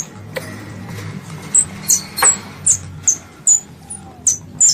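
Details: A squirrel calling its mother, described as a pest. Piercing high chirps that fall slightly in pitch repeat roughly twice a second after a couple of sharp clicks, with a soft low murmur beneath.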